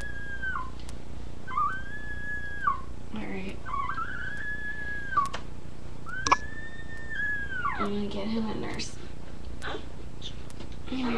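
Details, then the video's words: Newborn puppies with their mother dog indoors, being helped to nurse: long, clear, arching whines held about a second each, repeated several times, with soft squeaks and a person talking gently between them. "Puppies Making Noise"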